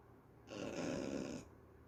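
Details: Sleeping dog Mafi gives a single loud, breathy snore lasting about a second, a broad rough rasp rising out of a quiet room and fading off.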